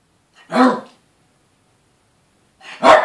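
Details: Two Yorkshire Terriers, a male and a female, with the female always terrorising the male: two short sharp barks about two seconds apart, separated by silence.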